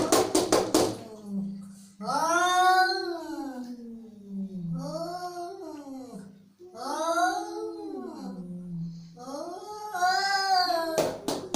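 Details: Angry cat repeating wailing yowls, each swelling upward and then dropping into a low moan, with brief clicking taps at the start and end.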